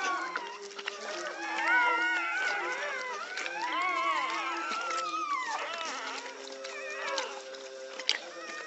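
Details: A Pit Bull birth in Egypt, filmed moment by moment: a chorus of high, wavering squeals and whines overlaps, some bending up then down, while low steady tones hum underneath.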